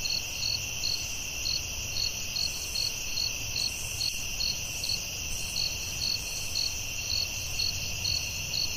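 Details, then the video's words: Night-time forest crickets keep up an even, high-pitched chirping, roughly two pulses per second, over a continuous shrill trill and a soft low background hum. "Soothing Cricket🦗 Sounds at Night"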